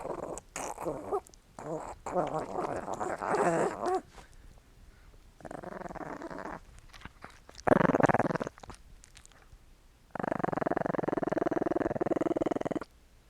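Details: Small dog growling during playtime, with licking noises mentioned: rough, rumbling growls come in several separate bouts with short pauses, ending in one long, steady, pulsing growl lasting about three seconds.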